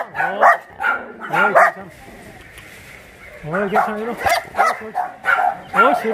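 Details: A chorus of shelter dogs at Mindeulle Shelter in Yangsan: clustered barks and rising yelps, then a lull of about two seconds before a fresh round of overlapping, bent-pitched barking.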